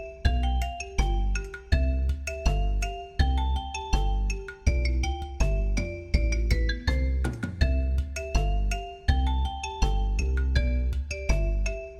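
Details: Bright mallet-percussion music with bouncing marimba and chime-like notes in a regular rhythm, with no animal sounds present.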